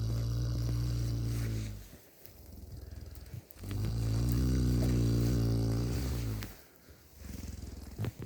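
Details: Cow in cold housing, snoring while sleeping contentedly. Deep, rumbling harmonic snores come in long drawn breaths of about two seconds, separated by quieter pauses, with faint shuffling between them.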